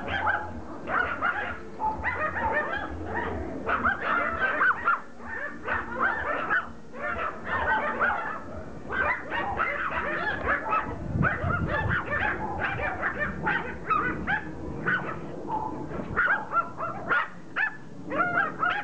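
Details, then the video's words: Pomeranians attacking a rugby ball, a long stretch of excited play: constant overlapping yaps, squealing whines and growly barks from multiple dogs, with thuds and scuffling under the calls. "Pomeranians attack a rugby ball"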